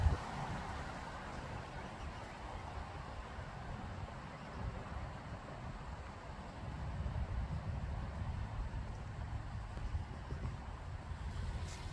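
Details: Low rumbling wind and distant engine-like noise with no clear animal calls.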